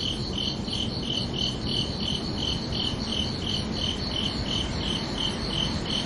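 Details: Night chorus of crickets, bright shrill chirps pulsing evenly at close to three per second, layered over a dull continuous rumble and hiss.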